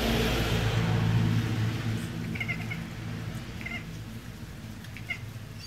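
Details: Gypsy, a female domestic cat that mimics birds, gives a few brief, high, chirping chatters about a second apart to trick a magpie, over a steady low rumble of background noise.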